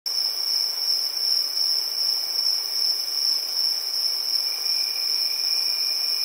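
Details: Crickets in a village at night, a steady, unbroken high-pitched trill with a fainter lower band beneath it and no other clear sounds.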